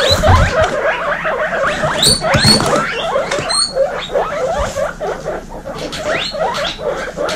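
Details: Baby guinea pigs kept together indoors, a group from a household of female guinea pigs, wheeking loudly: a dense chorus of shrill, rising squeals overlapping almost continuously, several callers at once, with soft rustling beneath.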